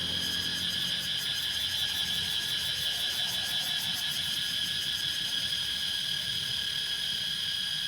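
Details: Cicadas in Laos keep up a steady, piercing high-pitched drone that never lets up.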